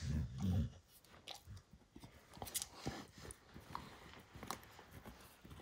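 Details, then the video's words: Pet dog Max gnawing and destroying a baseball hide indoors, a heavy low crunch opening into steady uneven chewing, about two or three bites per second, with wet clicks and rustling. "Max Destroys A Baseball Hide | NOT ASMR | DOG CHEWING"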